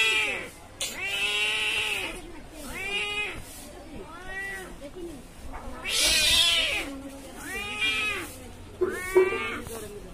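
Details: A brown cat and a black cat in a wild, angry fight trade long, wavering yowls that bend up and down, about seven separate wails with brief gaps and a sharper hissing burst near the middle.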